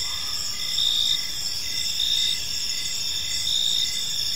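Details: Several crickets trill together in a park at evening, continuous bright shrill tones with short chirp bursts repeating close to twice per second over a quiet low background.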